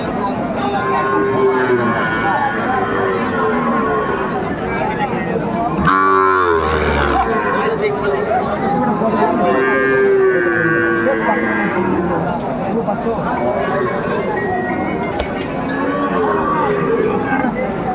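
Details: Sahiwal cattle at a crowded cattle market in Gazipur, Bangladesh, on 27 August 2024. A deep, harmonic-rich moo swells around six to seven seconds over constant crowd chatter and bargaining voices.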